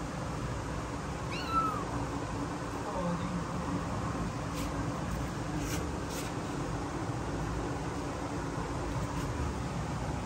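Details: Frightened newborn kittens, born 15 September 2022, scared; a single brief, high, thin meow falling in pitch near the start, then only a steady low hum, faint voices and a few sharp clicks.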